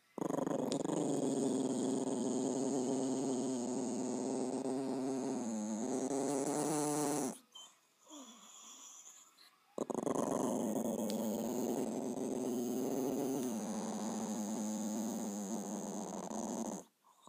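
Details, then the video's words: A dog named Bowie growling: a long, steady, rumbling growl lasting about seven seconds, a short quiet pause, then a second sustained low growl of similar length that fades out at the end. "Bowie growling"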